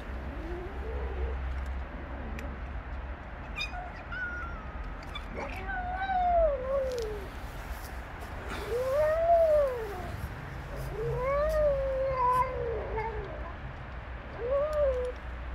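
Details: A female street cat under attack from three male cats: drawn-out, arching yowls that rise and fall, each a second or two long, repeated several times with short gaps, over a low outdoor background rumble.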